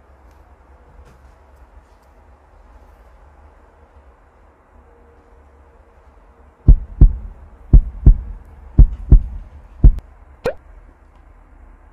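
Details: Quiet hum at first, then from about the seventh second a run of eight sharp low thumps, roughly two per second; no animal call.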